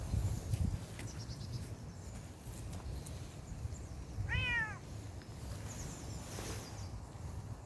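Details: Bengal kitten outdoors on a walk gives a single short meow, arched and then falling, rich in harmonics, midway through; low rumbling outdoor noise and faint high chirps around it.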